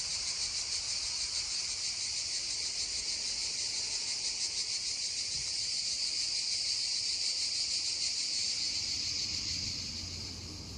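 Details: Cicadas near a babbling stream give a strong shrill droning buzz, finely pulsed and steady, then easing and fading in the last second, with a faint low rumble of water.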